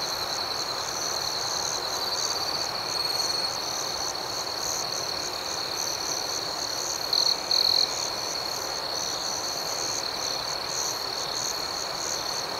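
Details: Crickets chirping at night outdoors make a constant high-pitched shimmer with faint rhythmic pulsing. Two short, sharper trills stand out just past seven seconds.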